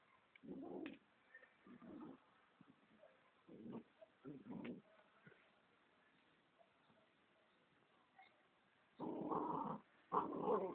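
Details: Golden Retriever at play, giving short rough growling bursts at irregular intervals over the first five seconds, a quiet stretch, then two longer, louder growly bursts near the end.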